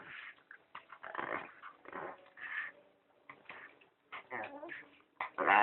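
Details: Female pet dog indoors, tugging on a person's pants and making strange noises: bursts of rough, growly whimpering with wavering, whiny tones that rise and fall, broken by short pauses, with human speech mixed in.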